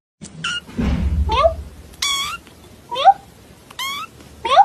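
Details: Domestic cat meowing repeatedly, short rising-then-falling mews about one each second, some higher and more strained, with a brief human voice and light rustling between calls.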